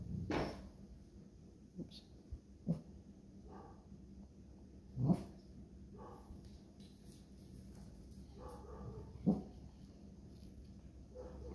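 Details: Neighbouring dog barking in the distance, used as a trigger during a pet dog's relaxation training; a few short, sharp barks spaced irregularly over eleven seconds in a quiet room, with soft low background hum.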